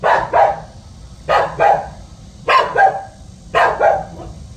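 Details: House dog barking while guarding its home: paired barks, two quick harsh yaps repeated about once a second in four rounds, over a faint low background hum.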